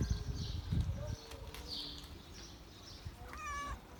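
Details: Stray cat living under parked cars on the street, being fed, gives a single short harmonic meow near the end, after low rumbling outdoor noise and faint clatter.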